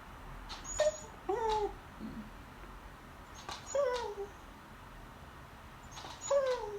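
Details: Female pet beagle begging at the table during lunch indoors while staring at the people eating: short, high, whining whimpers that slide downward, in bursts of one or two roughly every two to three seconds, in an otherwise quiet room.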